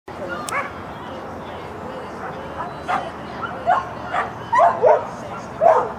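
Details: Schapendoes dog on a clean agility run in Stavanger, May 1, 2016; short sharp barks and yips come in quick bursts, clustering in the second half, over steady speech and a background hum.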